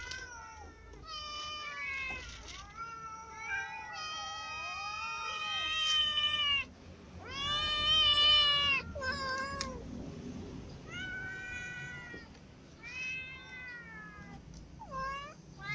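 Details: Ginger cat eating lying down after being clawed by a newly arrived white cat; long wavering meows and caterwauls, loudest around the middle, later shorter calls with pauses between.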